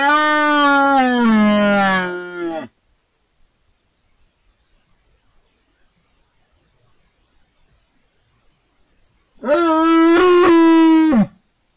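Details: A 12-point red deer stag gives two long, rich bellows separated by quiet, at the peak of the rut in October 2023, at Cerro Escribano and La Tinajilla in the Chico Mendes Wildlife Refuge, Spain.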